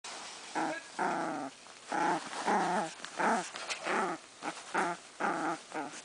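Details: Chihuahua growling while playing tug-of-war with a bandana, getting worked up during the game; rough, throaty growls with strong harmonics come in short bursts roughly every second, separated by brief pauses, in a small room.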